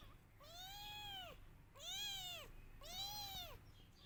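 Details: Kittens crying loudly for their missing mother: three long, clear, arched meows in a row, each rising then falling, about a second apart.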